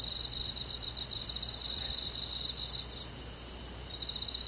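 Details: Crickets on a summer night in a countryside forest, joined by other insects: steady, finely pulsed high trills stacked in several bright bands, running continuously with slight rhythmic swells and no other clear sounds.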